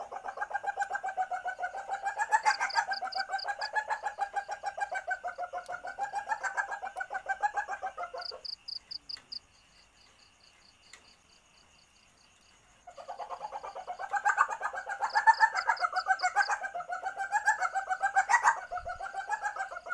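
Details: An Asian palm civet in heat calling, a sound used to lure civets: long bouts of rapid guttural clucking, roughly four notes a second, separated by a quiet gap of several seconds; faint high pulsed chirps in the background.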